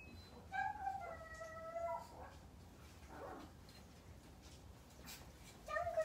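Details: Maltese dog left home alone, waiting for its family to return, giving drawn-out, high, tonal whining howls: a long wavering note that slides slightly downward, a short pause, then another whine starting near the end, in a quiet indoor room.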